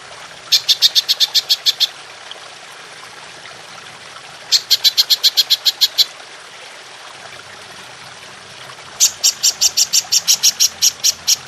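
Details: Golden grasshopper (belalang emas) in a long-shooting 'nembak panjang' style, used as masteran to train songbirds: three bursts of rapid, sharp, high ticking pulses, each about a second and a half long, separated by brief pauses.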